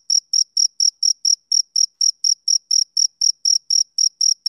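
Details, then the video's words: Rhythmic chirps from a male cricket in summer evening: evenly spaced, sharp, high notes repeating roughly four times per second against complete quiet. "Cricket Chirping Sound Effect"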